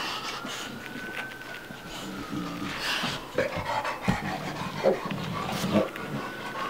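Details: Playful American Bulldog Bubba, aged two, and young Dogue de Bordeaux Ruby, five months old, pant in uneven breathy bursts during their romp, over a thin high steady tone and soft scuffling noises.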